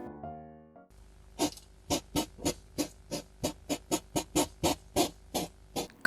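A hedgehog gives a rapid series of harsh, snorting puffs, a male's threat display before a fight.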